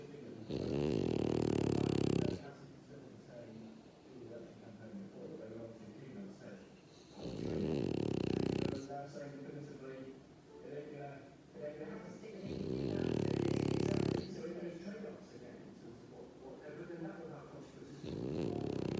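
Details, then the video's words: Zeus, a pet dog, snoring indoors: long rasping, rapidly pulsing snores about every five seconds, each lasting one to two seconds, with quieter voices talking in the gaps. "Snoring Dog (ZEUS) Bless Him"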